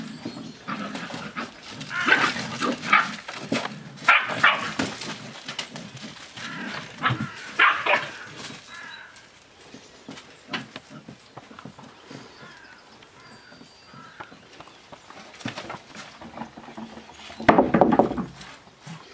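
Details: Seven-week-old Australian Shepherd puppies at play, giving bursts of squealing yips and rough growls over the first eight seconds, then quieter scuffling and one final sharp yelp near the end.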